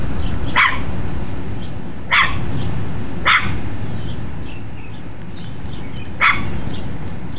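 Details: Tucker, a pet dog guarding the home, barks at the people next door: four clear, separate sharp barks spaced one to three seconds apart, with low steady background noise between them.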